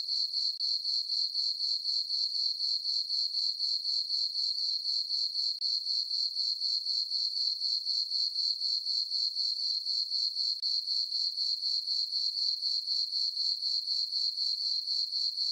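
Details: Crickets in a farm meadow on a full-moon summer night keep up a long, very regular high-pitched pulsing trill, around four beats per second, steady in loudness, nothing else audible.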